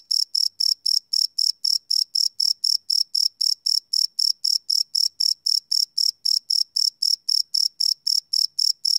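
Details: Crickets calling after dark, live field recording: continuous high, ringing chirps pulsing at a fast regular rate of roughly four each second, nothing else audible.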